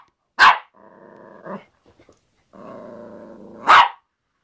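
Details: Yorkshire Terrier tussling with a hairbrush gives a sharp bark, a low growl, a pause with small clicks, another sustained growl, and closes with a second loud yap.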